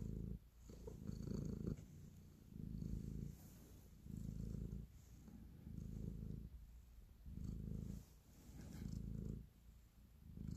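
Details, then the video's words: Affectionate house cat kneading as it purrs: deep continuous rumble rising on each inhale and exhale, roughly five long pulses across the stretch, close and intimate with soft background hiss. "Cat Purr, Kneading and Love"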